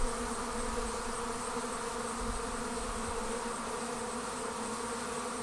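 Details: Swarming honey bees departing the hive create a smooth, unbroken mass drone, low humming tones stacked steadily, with a slight swell at the start and a level hum throughout.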